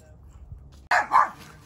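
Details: Domestic dog, one of a group including Odin the German Shepherd and Samson the Boxer, gives two loud, sharp barks in quick succession after a quiet stretch with low background rumble.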